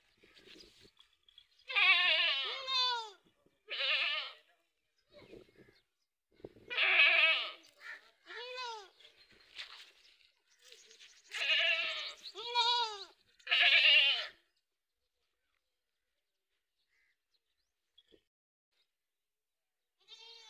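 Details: Goats on a farm bleating repeatedly, a string of quavering harmonic bleats in short bursts, some with wavering vibrato, separated by brief silences, with a quiet gap near the end.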